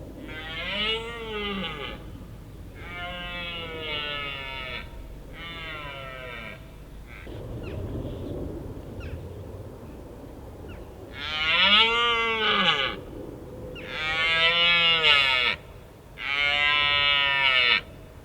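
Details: Red deer stag bellowing in the autumn rut at Richmond Park: a run of loud, hoarse, harmonic roars in groups, arching up then down in pitch, each around a second long, with a quiet gap of low rumble midway.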